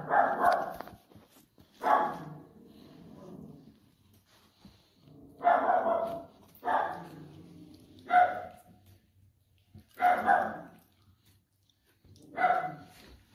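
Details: Maltese terrier puppies at a breeder in Turkey; short, sharp barks come in bursts at irregular intervals, about seven in all, in a quiet setting.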